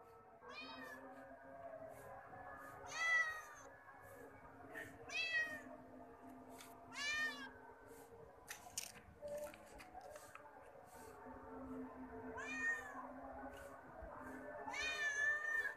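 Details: Kitten meowing indoors, a series of short harmonic meows arching up near the top, about five clear calls spread across the stretch with quieter ones between, over a steady low hum and faint background noise.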